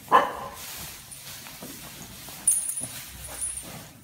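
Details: Welsh Corgi Dixie (Haapatassun Country Beauty), fearless with cows, herding them and putting them in their place: one sharp bark at the start, then quieter scuffling and a short burst of noise midway.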